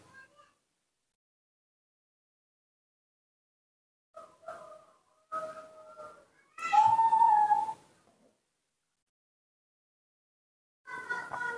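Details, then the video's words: Baby monkey, newborn and cared for at home, repeatedly asks for milk with short tonal whimpers spaced a second apart, then a loud strained harmonic cry around the seventh second, and another rising cry at the end. "makes a unique sound, cute and beautiful, that's how newborn monkeys ask for milk"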